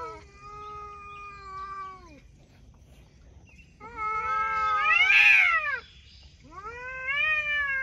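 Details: Talking cats: three drawn-out meows separated by pauses. The first is steady and falls at its end, the second rises into a loud strained peak, and the third is rising and wavering.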